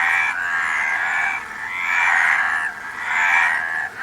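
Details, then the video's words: Loud overlapping frog croaks form long, rasping, buzzy swells lasting over a second each. Three surges rise and ebb, with no other clear sounds. "Frog Sound"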